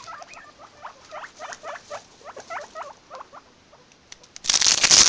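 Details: Guinea pigs make a quick series of short, squeaky chut notes, several per second and unevenly spaced, ending in a burst of loud rustling.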